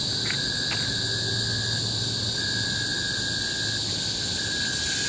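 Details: Tropical-forest cicadas on Bukit Timah Hill, Singapore, in 2017: a loud monotonous high whine held throughout, with two short clicks early on and a broken lower tone weaving beneath.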